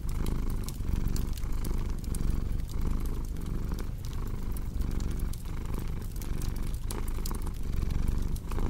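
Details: Cat's deep, even purr pulsing in short in-and-out breath cycles, steady in loudness, while a crackling fireplace adds scattered sharp clicks.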